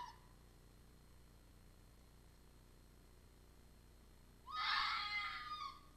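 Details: At a restaurant plaza in Iizuna, Japan, around 18:10 on 4 December 2020, a red fox arrives howling: a faint brief call, then a loud, hoarse, raspy wavering "uh-uh-waa" scream over a second long, sagging downward as it fades.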